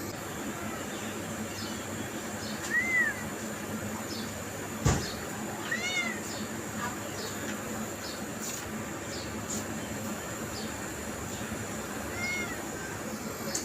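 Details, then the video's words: Cat meowing to draw others, three brief, high, chirp-like meows spread several seconds apart, with scattered clicks and a sharp knock against a constant hissy background. "funny cats and kittens sound effects compilation"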